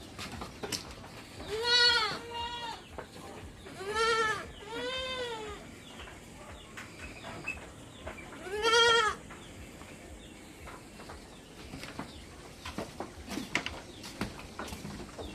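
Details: Farm goats in summer, being served salt-molasses water: about five loud, quavering nasal bleats bunched in the first nine seconds, then quieter knocks and scattered faint sounds.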